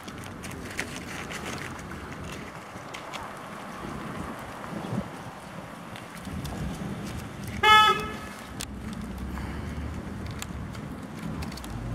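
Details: Outdoor urban background with passing traffic, faint voices and one short car horn toot midway, and no animal voice.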